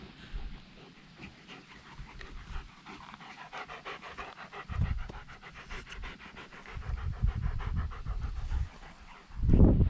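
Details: Dog at an outdoor dog run in October, on the day its pool was removed; fast, rhythmic, breathy panting in an even run of quick puffs, with low thuds in between and a loud rumbling burst at the end.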